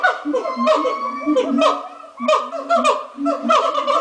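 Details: Captive monkeys calling at dawn at Twycross Zoo: choppy, cackling bursts of hoots and short bent notes, rising and falling in loudness in waves, several animals overlapping.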